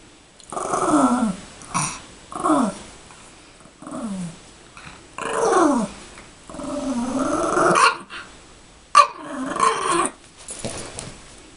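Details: Yorkshire Terrier playing with a toy bunny, growling in about nine short bursts, each a rough, falling-pitched snarl with breaks of a second or so between them, plus some rustling and thumping from the play.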